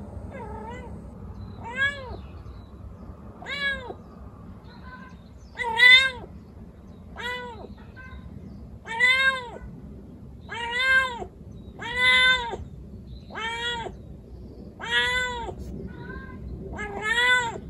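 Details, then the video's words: Kukuru, a white calico rescue kitten of four months and one week, in her first heat, calls for a male: short rising-then-falling meows repeated at irregular intervals, a few seconds apart, growing louder, over a low background hum. "猫が反応する鳴き声｜発情期のメス猫 |オス猫を探す鳴き声"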